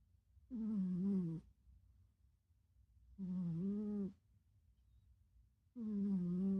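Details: Pet cat snoring during REM sleep, a deep, loud, rhythmic snore: three drawn-out buzzy breaths, each lasting about a second, separated by quiet pauses of roughly two seconds.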